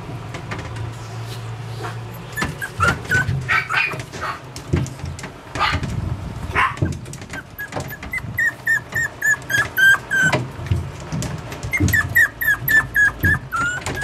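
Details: Yorkshire Terrier puppy indoors, thin high whistled whimpers coming in quick bursts, more frequent in the second half, over low rumbling handling noise and thumps.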